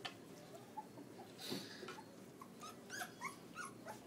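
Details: Litter of eight Pitbull-cross and Belgian Malinois puppies, newborn, recorded by iPhone; faint high squeaks and short upward whines come every half second or so, with a brief louder rustle midway.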